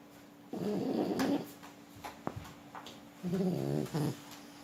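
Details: French Bulldog named Forsik, asleep indoors, snoring: two low, rasping, harmonic snores about three seconds apart, each under a second long, with a few faint clicks between them.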